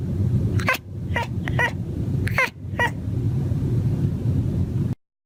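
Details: Tomcat chattering at birds while hunting on a patio: a burst of clear, bright chirps, each dropping sharply in pitch, about six in three seconds with short pauses, over a low steady rumble.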